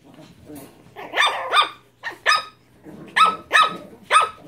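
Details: Japanese Chin puppies barking: several short, sharp high-pitched yaps in quick pairs and clusters, with faint quieter sounds between them.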